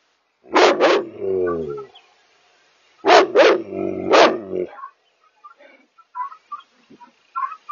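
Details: Maremma Sheepdog barking at night: loud harsh barks in quick pairs and a triple, around three seconds apart, followed by softer scattered faint sounds.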